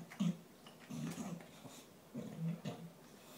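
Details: Gavin the dog eating his dinner, rushing his food before the other dogs reach it; low, rough rumbling growls come in three short bursts about a second apart, with faint chewing noises between.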